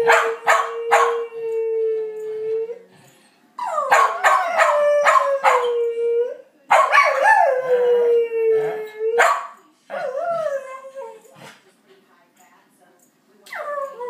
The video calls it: Howling dog